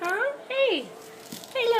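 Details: Two-week-old yellow British Labrador Retriever puppies from Bailey's litter of seven, whelped May 30, 2013, indoors: three short, piercing whining squeals, each arching up then sliding down, about half a second long, with brief gaps between.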